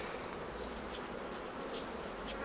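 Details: Honey bees swarm around hives as honey is taken off, being swept away with a soft brush; a dense, steady buzzing hum fills the air, with brief higher scrapes above it.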